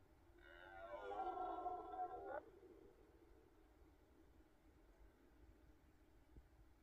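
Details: A single red deer roar on a rut morning, about two seconds long, rich and harmonic with a slightly wavering pitch, ending abruptly and followed by quiet low background noise.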